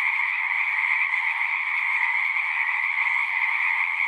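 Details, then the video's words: Dense chorus of singing frogs, a high, pulsing trill from many animals at once, constant and unvarying, with nothing else audible. "One hour of singing frogs."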